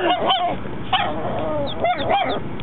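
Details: Mocha, a four-month-old puppy dog, barking for the first time: short, high, yappy barks with rising-falling harmonic tones, about five of them in two bursts, with a gap of roughly a second between bursts.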